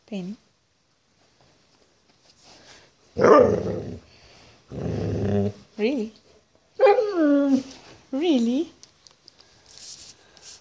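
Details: Very vocal puppy, female, 'talking' to her family: several short, whiny, yowling vocalisations that bend up then down, clustered in the second half, interleaved with a woman speaking and asking questions.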